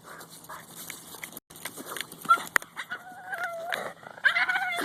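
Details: Female Boston Terrier that does not bark, making monkey-like noises while chasing a goose in a park: thin wavering whistled whines and yips over a noisy outdoor background with scuffling sounds.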